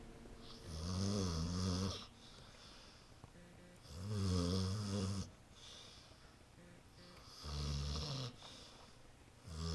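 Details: Pet dog Lexie dozes on the couch, snoring loudly; three long, rough, low snores about every three seconds, each lasting over a second, with quiet breathing in the gaps indoors.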